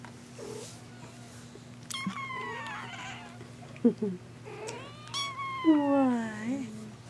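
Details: Kittens meowing indoors: two drawn-out, wavering meows, the second sliding downward into a lower, trailing whine, with a steady low electrical hum underneath.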